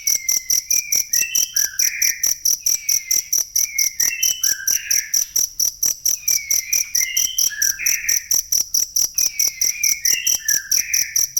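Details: Jangkrik chirping for songbird masteran: loud high pulses ticking steadily several per second, while bursts of twittering, descending bird whistles recur roughly every two and a half seconds.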